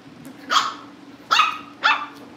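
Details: Cavalier King Charles Spaniel puppies, kept indoors at a family home breeder and being readied for pick-up: three sharp, high yapping barks spaced about half a second apart, over a steady low background hum.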